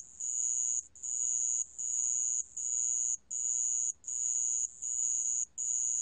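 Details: Shrill, continuous-sounding trills of a sand cricket, recorded in 2020 by the National Institute of Biological Resources, come in bursts of almost a second with quick breaks between them.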